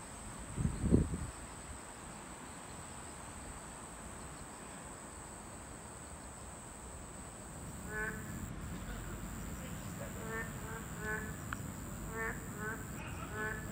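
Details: Boreal digging frogs at a habitat of this class II protected species: steady background noise and a thump early on, then from about eight seconds short nasal harmonic calls repeated irregularly, several overlapping.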